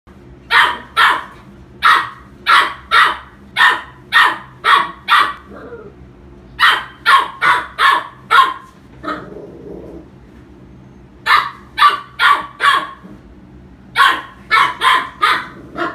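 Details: Dog barking in sharp, rapid bursts of about five to seven barks, separated by short pauses, with a faint low whine between bursts.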